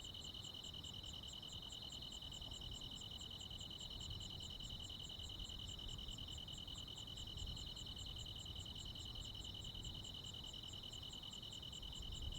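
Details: Crickets and other insects on a midsummer night in the Korean countryside; a steady, unbroken high-pitched trill holds throughout, with a fainter rapid ticking pulse above it, over a soft low rumble of background noise.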